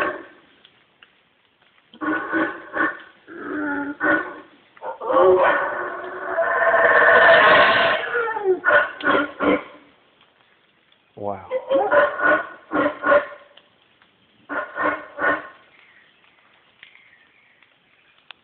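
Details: A single male howler monkey in the Guatemalan jungle gives deep, rasping grunts that swell into a long, roaring howl, calling as it rains and irritated by people nearby, shaking branches and leaping about.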